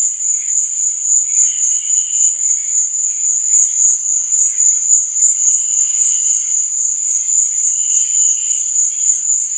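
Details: Crickets at night: a dense, steady, high-pitched trill pulsing rapidly without pause, with fainter, lower chirping phrases drifting in and out behind it. No other sounds stand out.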